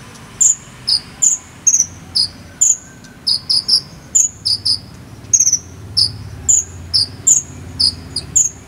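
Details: Cricket in the jangkrik sambung style from Cililin, played to konin birds as song training: evenly spaced high, clear chirps, mostly single or paired, repeating roughly every half second, with a soft low hum underneath.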